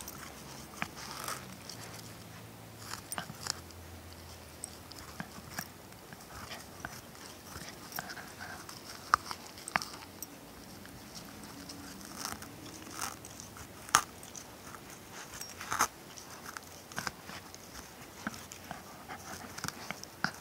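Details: Ronin, a Shiba Inu / Schipperke mix, works at a tennis ball indoors, giving scattered crunchy bites and faint squeaks over a steady low room hum.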